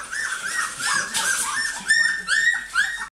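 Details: Goldendoodle puppies calling for their mother indoors, repeated high rising and falling whines and yelps, several overlapping voices, growing louder near the end before stopping abruptly.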